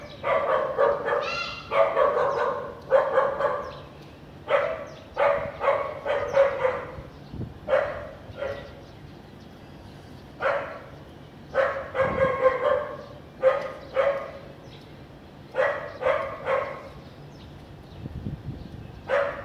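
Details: Sunny afternoon in Vientiane, Laos, 15 April 2021, with a house dog barking persistently; loud, harsh barks in irregular clusters of two to four, continuing for the whole stretch with brief pauses.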